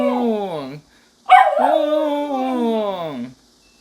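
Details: Two howls from a pet dog during a civil defence drill with siren: a short falling howl, a pause, then a longer one that opens sharply high and slowly descends, thick with harmonics.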